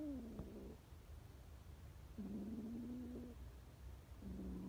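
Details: Frightened stray kittens on the street calling: three long, flat meows, the first falling, the middle one held about a second, with steady low background rumble.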